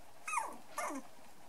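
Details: Brown and black dwarf-toy poodle puppies, three and a half weeks old, playing together: two quick high squeaky yelps, each sliding downward, about half a second apart, in a quiet room.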